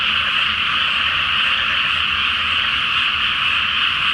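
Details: Great chorus of frogs at night in a water-filled paddy before rice planting, full moon overhead: an unbroken mass of overlapping croaks at steady loudness, over a faint low background rumble.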